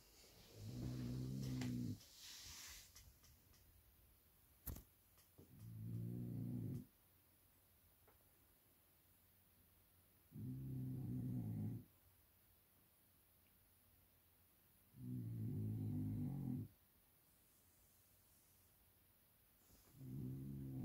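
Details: Napping blue French Bulldog, 15 months old, snoring indoors: low rumbling buzzy breaths of one to two seconds, repeating about every four to five seconds, with quiet room hiss and a sharp click between.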